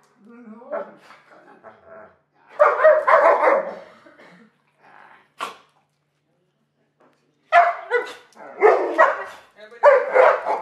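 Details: Alaskan Malamutes, two dogs, being fed. Low murmuring grumbles lead into loud, rough, wavering yowls in two clusters, with a sharp click in between and a pause before the second burst.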